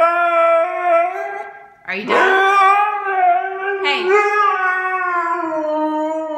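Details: Siberian Husky howling and 'talking' back while being told off indoors, a sustained tonal howl broken by two sharp rising yelps, then a long steady wavering howl.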